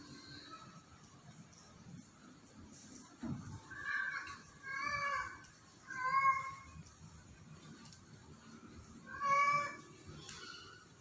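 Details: Cat on a house roof meowing repeatedly: three drawn-out harmonic meows about a second apart, then a pause before a fourth, louder meow, with a soft thump just before the series and faint background hum.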